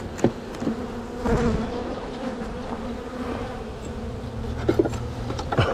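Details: Open hive of honey bees during a spring split, frames lifted to find queen cells; constant buzzing drone broken by several clicks and frame knocks, the hum swelling near the start and end.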